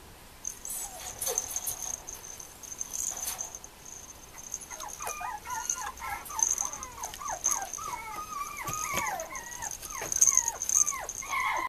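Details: Mame Shiba puppies, females, making a long series of thin, quavering whimpers and squeaks that grow busier in the second half, over a constant high electrical whine.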